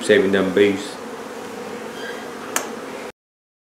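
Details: Honey bee colony being relocated from a barn hive in La Feria, Texas, queen located during removal; a steady low droning hum runs throughout, a man's voice speaks briefly at the start, and a sharp click sounds near the end.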